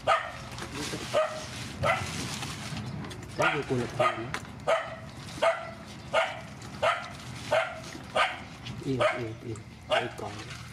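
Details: Rescue dogs, mothers with their puppies, bark repeatedly while being fed, roughly one bark every second after a brief pause near the start. Human voices murmur underneath throughout.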